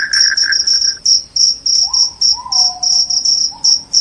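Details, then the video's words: Loud cricket, offered as a rat repellent and sleep aid, gives clipped high-pitched chirps in uneven bursts about three per second, with a faint lower whistle-like tone gliding in the background. "SUARA JANGKRIK PENGUSIR TIKUS, JANGKRIK JANGKRIK SUARA NYARING BIKIN NGANTUK"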